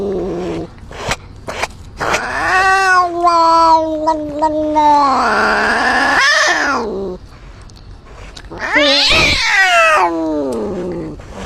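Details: Cat's drawn-out yowling in several bouts, bending up and down in pitch, separated by sharp clicks and short gaps, ending in a harsh, rising, strained wail.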